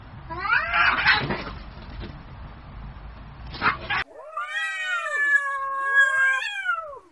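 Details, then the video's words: Street cats in an angry fight: a rough spitting, hissing scuffle with harsh yowls, cut to a clear harmonic caterwaul that rises and arches over about two seconds. "Real Cat Fight Angry Cats Vs Cats Аngry Compilation Video Ever| cats and Cats Fight|Watch With Sound"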